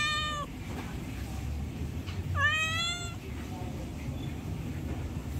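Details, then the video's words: Cat begging for food: two loud meows, a short one at the start and a longer rising-falling one about two seconds later, then a faint soft squeak, against steady low room noise. "Suara Kucing Comel Minta Makanan | Cat wants food sound | Hungry cat ask for food"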